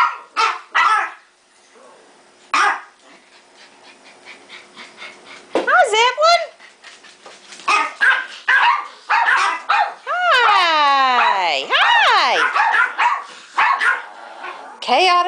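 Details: Household dogs indoors, agitated after one dog tried to get into another's crate; repeated barking bursts, then a long wavering howl-like whine sliding down around ten to twelve seconds, with a person speaking.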